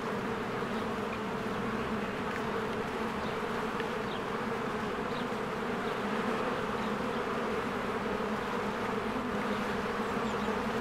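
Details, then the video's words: Bees working at a hive on a spring day make a constant, low, droning buzz. Faint, scattered high chirps, likely small birds, are heard in the background. "1 Hour of a Beehive ASMR | A Spring Nature Ambience Sounds"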